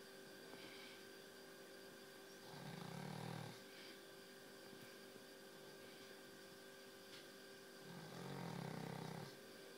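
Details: Exhausted dog asleep, snoring in slow rhythm: long, throaty, rattling inhalations roughly every five seconds with a faint softer snort at the start, a constant background hum running underneath.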